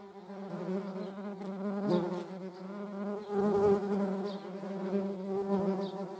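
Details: Constant loud humming buzz from median wasps (Dolichovespula media) flying with honeybees, a low, even drone with strong overtones that wavers slightly in pitch and volume throughout.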